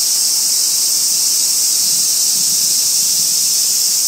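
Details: Robust cicada, Hyalessa maculaticollis, calling from a tree in a small urban park in Kitano, Japan, August 2024; an unbroken, high, hissing buzz runs throughout at a steady loudness.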